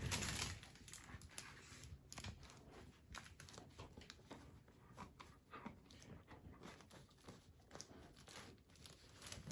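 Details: Shetland Sheepdog indoors, just given a circus tent, panting in quick, uneven breaths amid crinkling and tearing noises of the tent material.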